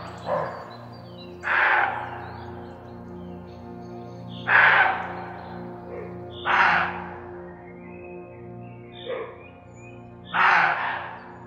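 Roe deer giving harsh, hoarse barks, each short and rasping, spaced a couple of seconds apart.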